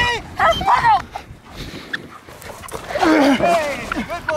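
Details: Milo, a jet black German Shepherd in protection work, gives a few strained, rising-falling barks and yelps near the start and again after a pause, overlapping with a handler's voice.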